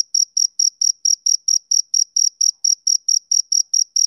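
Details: Male cricket chirping on a summer evening: a steady train of short, bright, high chirps, about four each second, each with a fainter higher overtone. No other sounds, silent between pulses.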